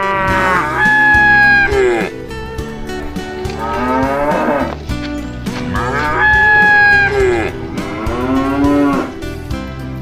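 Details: Tame cattle herd walking and happily jumping along a green hillside road toward the farm barn in the afternoon, autumn, forest surroundings; four long, drawn-out moos of one to two seconds each, rising then falling, over steady background music.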